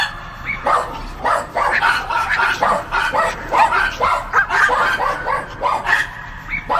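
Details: Rapid, overlapping dog barks, loud and insistent, following each other almost without pause for the whole stretch.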